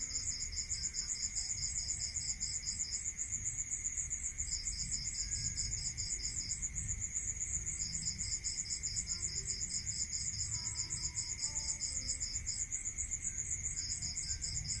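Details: Crickets at night in a rural area: a high, fast pulsed trill in bursts of several seconds with short gaps, over a steady higher buzzing drone, a constant lower whine and faint low rumble.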